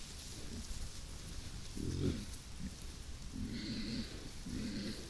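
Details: Herd of wild boars (Sus scrofa) in forest near Vilnius, Lithuania, early Monday morning, 13 September, nosing and pushing snouts into a trail camera; low, soft grunting bursts come four times in five seconds over a steady background hiss.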